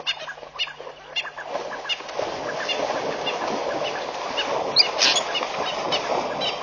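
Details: Wildebeest worked up in the early morning at Pete's Pond, Mashatu Game Reserve, Botswana, on 11 July 2013: a dense herd chorus of overlapping nasal, honking grunts, building from scattered calls into a continuous din, with one sharp high sound near the end.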